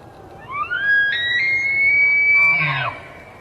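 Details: Bull elk bugling during the early-fall rut to advertise fitness and challenge other bulls: a clear whistled tone glides upward, then holds high and steady for about two seconds before breaking off in a short rough ending.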